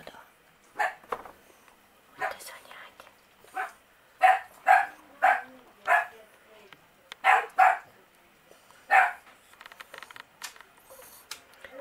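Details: One-day-old Miniature Pinscher puppies from the Q litter give high, squeaky whimpers in short bursts, often in quick pairs, about a dozen over twelve seconds at irregular gaps, with faint soft rustling between them.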